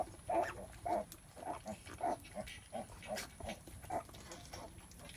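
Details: A sow in labor, giving birth, grunts steadily. Short, muffled, low grunts repeat about twice a second in an even rhythm over a soft background hum.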